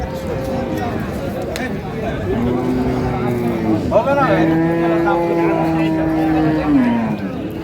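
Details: Cow with calves at Raniganj cattle market in Dinajpur, 15 May 2025: a long, steady, low moo lasting about four seconds that sags in pitch at the end, preceded by a shorter lowing, with human voices chattering around it.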